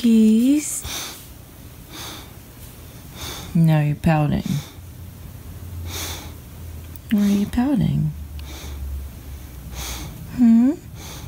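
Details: English Bulldog pup throwing a fit, barking and crying when not played with; four short moaning, whining bursts with rising and falling pitch spread over eleven seconds, snorts and heavy breathing between them, indoors.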